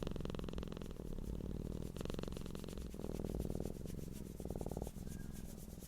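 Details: A cat purring: a deep, low rumbling hum, continuous and rhythmic, with fast regular pulses running through the whole stretch and a steady low drone beneath.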